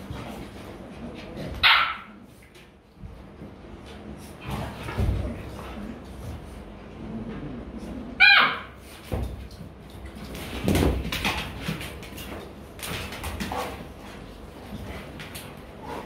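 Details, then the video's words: Playful Rottweiler puppies in Vietnam wrestling and mock-biting each other; two loud, sharp yelps rise high around two and eight seconds amid scuffling and softer grunts, with Vietnamese speech nearby. "My Dog Puppy Playing"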